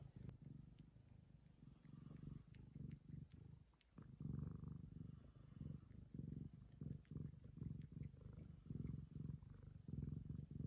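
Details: Affectionate Ragamuffin cat licking the owner's daughter, purring in a low throbbing rumble with short pauses between breaths, a brief quiet gap near the middle, and scattered licking clicks.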